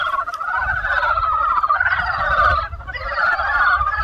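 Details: A dense spring chorus of frogs, many voices croaking together in a steady, rattling, mid-pitched wall of sound.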